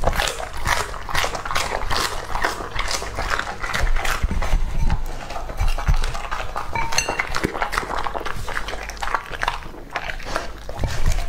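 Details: Lucky, a young male English Labrador Retriever, eats raw meat. Rhythmic crunching chews come roughly twice a second, alongside a few panting breaths and a low indoor hum.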